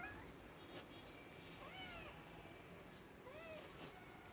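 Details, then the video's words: Domestic cat meowing: two short arched mewing calls, the first near the two-second mark and a second, rising-then-falling one near three and a half seconds, over a steady low background hiss. "Cute talking cats, Funny cats sounds for lonely cats"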